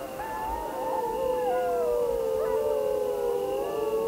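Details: Grey wolf chorus howl: several drawn-out voices layered at once, one steady mid tone with higher wavering howls rising and bending above it, unbroken throughout.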